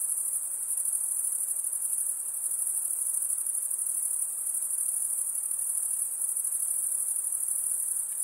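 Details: Lakeside insects keep up a constant high, fizzing trill, even and unchanging from start to finish.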